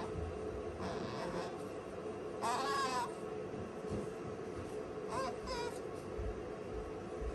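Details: Sakura, a pet female otter, calls out worried because her owner is absent: two high, wavering, whining cries with harmonics, the first near two and a half seconds and the second near five seconds, over a steady indoor hum and brief speech.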